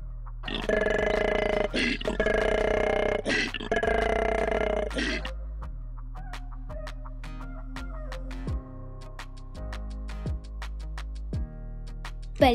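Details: An Australian koala gives three deep, rasping, snore-like grunts in quick succession over about four seconds, then falls silent while soft background music plays.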